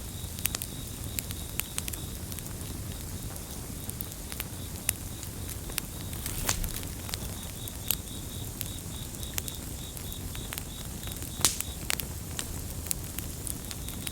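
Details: Gentle chorus of crickets: thin, high pulses repeating steadily for the whole stretch, mixed with the crackle of a bonfire, scattered loud snaps and a constant low rushing sound.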